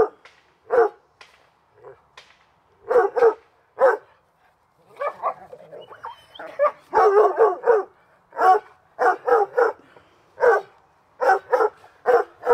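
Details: Hubert and Woody, dogs at play in the backyard on a summer afternoon, bark in rapid bursts of two to four sharp yaps, with a person calling one of them to come.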